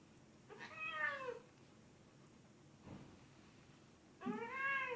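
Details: A domestic cat gives two clear drawn-out meows, the first arched and falling, the second rising after a pause, against a quiet background hiss.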